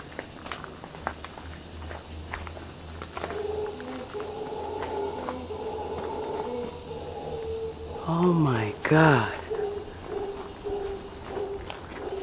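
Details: Howler monkeys, locally called Congo monkeys, in the rainforest of Braulio Carrillo National Park, Costa Rica: a steady low droning roar with moaning overtones runs throughout, under constant high insect hum, with an excited human exclamation near the end.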